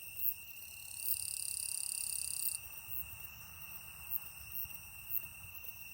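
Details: Insect recorded in Shimokawa, Kamikawa District, Hokkaido, Japan, on 5 September 2020: a rapid pulsed high trill lasting about one and a half seconds over a constant high-pitched tone, followed by scattered soft clicks.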